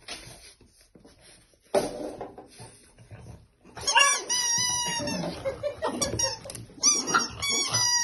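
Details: A French Bulldog puppy, going crazy playing with her toy elephant, lets out a run of high, squealing whines and grumbles after a quiet start.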